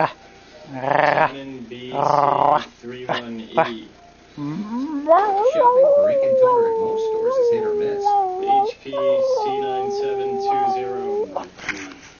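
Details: A Miniature Schnauzer puppy at play gives a few short, harmonic yelps, then rises into a sustained, wavering howl that holds steady, dips, and trails off near the end.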